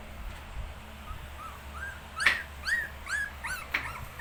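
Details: Shih tzu puppies, 19 days old, give a run of thin arched whimpers, each rising then falling, coming quicker and louder toward the end over a low steady hum.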